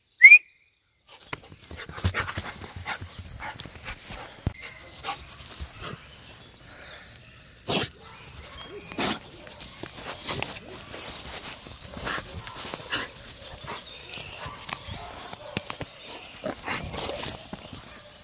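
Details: Heideterrier Gröschel von der Lönsmeute, a Lower Saxony Jagdterrier bred for wild boar hunting, gives sharp barks outdoors, with irregular yaps and several louder bursts over steady rustling and crackling.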